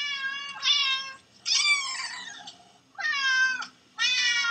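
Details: Played-back meowing of cats and kittens heard by a dog; four loud, harmonic meows about a second apart, some rising then falling, over a low background murmur.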